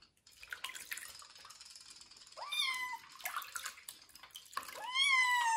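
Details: Kitten Joe, a domestic kitten, bathed for the first time and treated for fleas before going to a new home, lets out two rising, drawn-out meows amid splashing water and running-tap noise.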